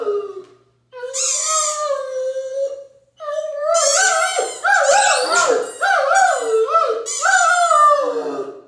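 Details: A Great Dane howls with delight each time he squeaks his favorite toy ball, long, wavering, mid-pitched notes rising and falling over and over.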